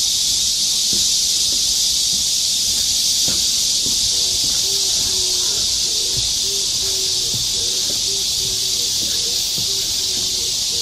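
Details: Loud, unbroken shrill hiss of massed cicadas in Galsan Park forest, Seoul, in midsummer, with faint low tonal pulses and scattered clicks beneath.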